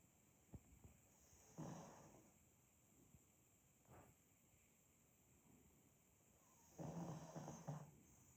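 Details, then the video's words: Sleeping pug Demid snores in slow cycles, with several short snorty rasps and two longer grumbling inhalations, the strongest near the end, over a quiet room hiss. "Просто АСМР храп мопса"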